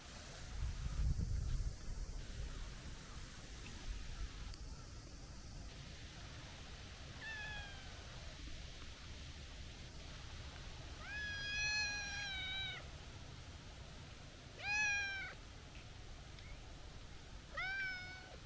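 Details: Chubby stray tabby cat with a young, kitten-like voice, meowing outdoors: a faint meow, then several clear, high, slightly falling meows a few seconds apart, over a steady low rumble of background noise.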